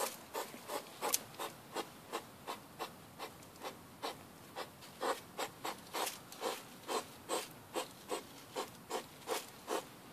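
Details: Grunting hedgehog walking at night alongside a partner out back of a house, captured by mobile phone; short scratchy puffs sound in a regular chain, close to three each second, some louder than others, against a quiet background.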